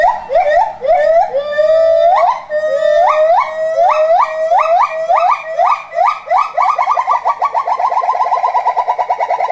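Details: Gibbons at Maruyama Zoo, a pair singing while brachiating; loud swooping hoots that rise in pitch, speeding up steadily into a fast trilling run of short rising notes by the end.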